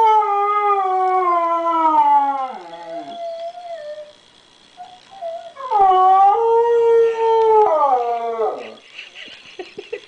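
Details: Howls from Diva, a dog pining for a missing grandson whose voice came through a computer: a long falling howl tapering into a thin whine, a pause, then a second swelling howl that drops away again.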